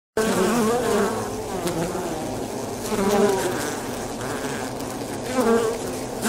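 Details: Polybia occidentalis wasps, known locally as avispa angolita, a swarming species that hangs its nests from trees, rocks and roofs; a steady buzzing drone of many wings with uneven rises in loudness.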